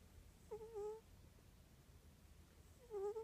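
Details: Morris the cat, snoring at home, gives two brief whining whistles about two and a half seconds apart, each with faint overtones, with quiet room hum between them.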